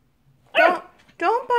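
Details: Nine-week-old Labradoodle puppy indoors meeting a guinea pig for the first time: three quick, loud, high-pitched yaps in a second and a half, harmonic and slightly rising.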